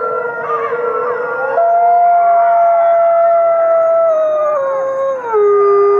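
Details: Captive gray wolves howling together, long sustained tones that hold steady then slide downward, several voices layered in harmony at different pitches, rich overtones, continuous chorus without pause.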